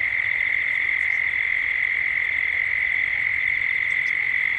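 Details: Cicadas at dusk in Gippsland, Australia, captured as a 3D ambience: a steady, unbroken droning buzz holds at one pitch throughout, with a few faint high bird chirps above.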